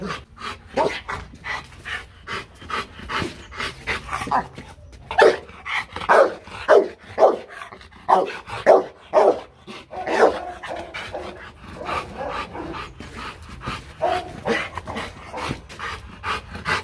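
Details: Marvin, a Rottweiler, being taught for fun to bark on command. A run of short, punchy barks repeats about every half second through the middle stretch, framed by steady rapid panting puffs before and after.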